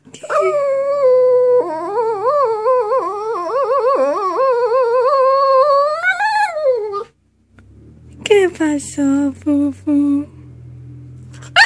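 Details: Bullet the dog singing: a long, wavering, tuneful howl with quick vibrato that rises and dips for about seven seconds before sliding down. After a short silence comes a string of shorter, clipped yelping notes.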